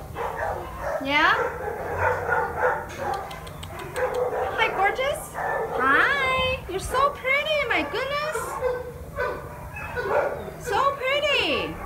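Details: Unaltered male black-and-white long-coated Alaskan Malamute, about three years old, at a South Los Angeles shelter; a long series of talkative yowls and whines sweeping up and down, many closely repeated, with a woman's voice in places.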